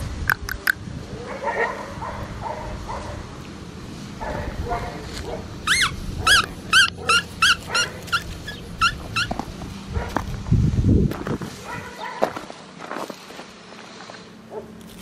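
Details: Blue merle male Australian Shepherd puppy, nearly five weeks old, from Juniper and Grady's litter, Oklahoma, November 5, 2020: a run of short, high, whiny yips repeated quickly in the middle, with a woman's soft talking before and after.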